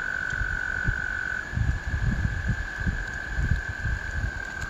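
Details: Spring American toad chorus: a sustained high trill shifts to a slightly higher pitch after about a second and a half and carries on steadily, with bursts of low rumbling noise throughout.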